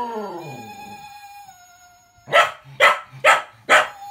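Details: Puppy cocker spaniel, female, answering a Gizmo toy: a falling howl-like wail blends into the toy's long sustained whistle, followed by four loud, evenly spaced barks.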